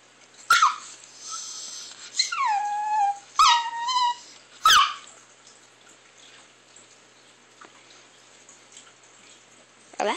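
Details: Chihuahua named Alexa making strange vocal sounds: a few short, high whining cries that slide downward and a warbling whimper, separated by quiet gaps, ending with a brief low sound.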